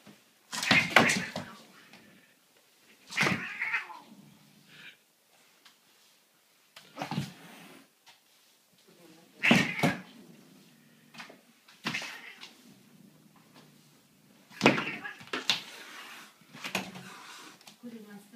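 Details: Domestic cat attacking a broom indoors, giving harsh, broadband yowling and hissing bursts in irregular volleys every few seconds, mixed with sharp knocks and scuffing of the broom in a small room.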